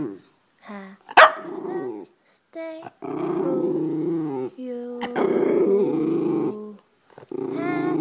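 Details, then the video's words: White pet schnauzer singing: a sharp yelp, then long, throaty, wavering moans and growly held tones rising and falling in pitch across several bursts, with brief silences between them. "the white schnauzer sing"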